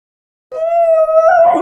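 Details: Basenji dog howling in a drawn-out, steady tone while having a talk with its owner, the note holding level then turning rougher and wavering near the end.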